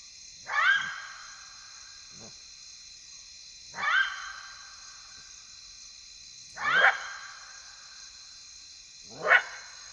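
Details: Side-striped jackals at night in the African bush of Kafue National Park, Zambia, give short, harsh yelping barks, spaced roughly every three seconds.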